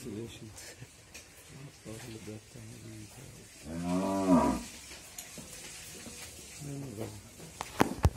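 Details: Friesian cow, nine months pregnant with her first calf and four teeth old, at a dairy farm in Bhangura, Pabna, Bangladesh, gives one deep, harmonic moo lasting about a second, falling at the end, between stretches of men talking nearby.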